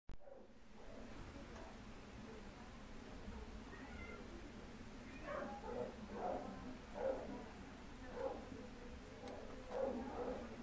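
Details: Turtle, a Domestic Shorthair cat available for adoption, recorded 12/5/2013. After about five quiet seconds comes a run of short, soft meows, roughly one per second, over a steady low background hum.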